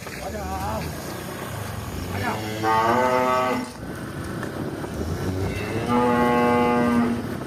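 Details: Tame village cows calling in two drawn-out, deep moos separated by a short pause, each harmonic and steady, over a low rumbling background.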